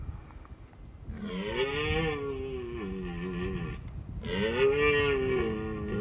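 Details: Rutting red deer in Austria's Hohe Tauern National Park, late September mating season, males calling to attract hinds: two long, drawn-out groaning bellows, each rising then sagging in pitch, over a low rumbling background.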